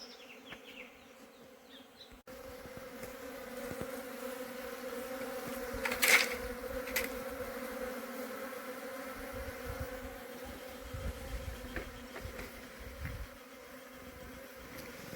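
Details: Honey bees returning up into their hive box after the queen failed to come. A steady drone holds a few even low tones, with a sharp knock near six seconds and faint rustling.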